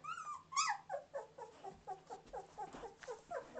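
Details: Samoyed puppies 2.5 weeks old, recorded indoors on December 13, 2009, while learning to walk and complaining about it: a series of short, high, falling whines repeated about every quarter second, with a woman talking softly nearby.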